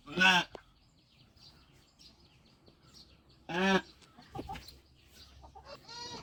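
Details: Sheep on a farm during lambing: two loud, short harmonic bleats about three seconds apart, each lasting under half a second, followed by softer calls and a higher-pitched cry at the end, over a quiet background.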